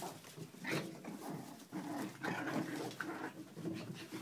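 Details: Playful puppies on a kennel deck make a steady stream of low grumbling growls and brief higher yips against a noisy, rustling background of scuffling movement.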